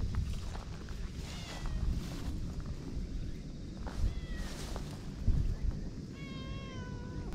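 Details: Ferocious stray boss cat at a harbour in Japan, around 18:00 as a boat captain arrives; several drawn-out, falling meows with rich harmonics, spaced a few seconds apart, over a constant deep rumble of harbour noise.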